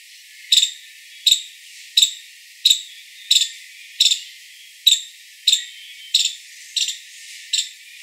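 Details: A five-striped palm squirrel (Funambulus pennantii) gives sharp, high chirps, repeated steadily about every three-quarters of a second.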